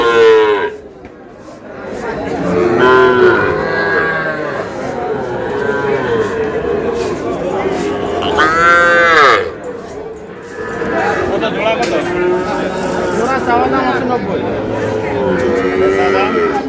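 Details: Sahiwal breed bull calf, purchased by a farmer from Brahmanbaria, Bangladesh, on 20 May. Several loud bellowing moos rise and bend downward, the strongest two about six seconds apart, with people talking throughout and brief quieter gaps.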